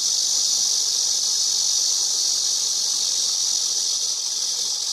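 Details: Continuous high buzzing of a cicada, a dense shimmering drone that holds level throughout and fades slightly toward the end, no other animals or voices audible.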